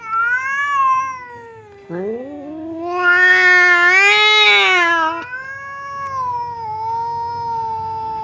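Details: Indoor standoff between two pet cats, aggressive Temon and calm Lelo, kept apart by a divider while seeming ready to brawl. Overlapping wailing yowls swoop upward, swell into a harsh, loud howl, then ease into a steady lower moan.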